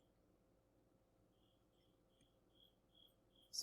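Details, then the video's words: Cricket calling in the background of a quiet indoor room: faint, short, high-pitched chirps, four or five spaced irregularly through the second half, over a low hum, before a person starts speaking at the end. "if you can hear the cricket there's a cricket in the background"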